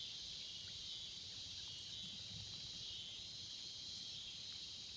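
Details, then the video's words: Cicadas in the swamps: a steady, high-pitched buzzing drone holds unbroken through all five seconds, with only faint low rumble beneath. "the sounds of cicada in the swamps"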